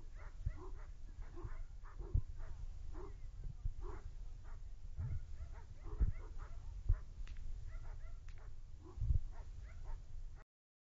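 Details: Male dog Lubim, nine months old, barks rapidly and insistently throughout a defense test, a near-continuous run of short barks with occasional louder thumps and a low rumbling background.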